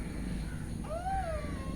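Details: Domestic cat, a mother that has just given birth to four kittens and is nursing them, gives a single rising-then-falling meow with a clear harmonic, over a low background hum.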